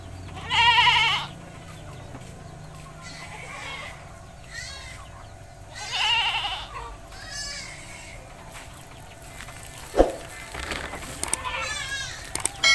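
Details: Domestic goat in a village, bleating while being bathed: three loud, wavering, harmonic-rich bleats spaced several seconds apart, with softer bleats between and a sharp knock near the end.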